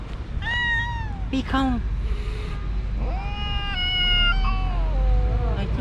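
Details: Upset calico cat, recently neutered, attacking five cats around her park territory: long sustained yowls that rise, hold and slowly sink, broken by short sharp cries, with a man speaking and low traffic hum underneath.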